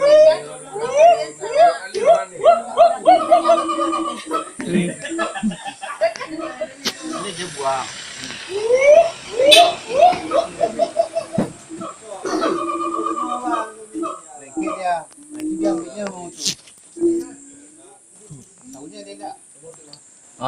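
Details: Siamang at Gunung Gerute, Aceh (West Aceh), calling with loud, rising hoots and barking notes that come in quick, excited bursts.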